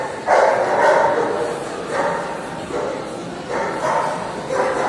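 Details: Hungarian Vizsla barking in a CACIB dog show ring in Odessa, Ukraine, on 13 February 2022. About five sharp, loud barks come at uneven intervals over a few seconds, with hall murmur and background voices.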